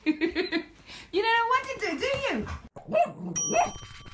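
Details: Female Alaskan Malamute vocalising back at a talking toy hamster: wavering, rising and falling howl-like 'talking' sounds, mixed with the toy's squeaky voice and a bright electronic tone.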